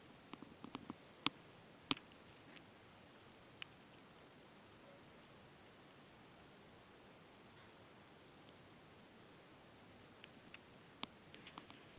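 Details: Quiet indoor room with a low hiss, a few sharp clicks and soft rustles, and no animal voice.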